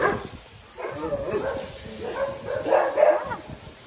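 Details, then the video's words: Brief bout of small dogs barking: a few high, clipped yaps after a quiet start, growing louder toward the end, over a steady background hiss. "Melosa with small dogs"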